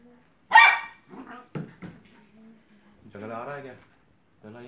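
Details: Kelpie puppy, 12 weeks, playing in a pen alongside a cat: one loud, high bark, then softer grunts and whines and a drawn-out, wavering yelp.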